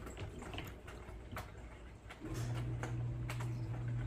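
A Bengal kitten makes a low, steady rumbling noise while eating, mixed with crunchy chewing clicks.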